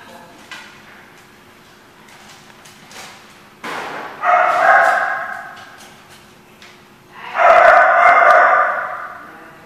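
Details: Dog, dated 12/12/14, quiet at first with faint knocks, then two drawn-out harmonic barking bursts, each lasting over a second and fading, near four and seven seconds, with low background hum.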